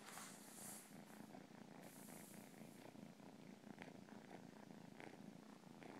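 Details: Cat purring close up: a steady low rumbling drone with fine rapid pulses throughout, broken by brief soft hissy breaths and slight rustling in the background.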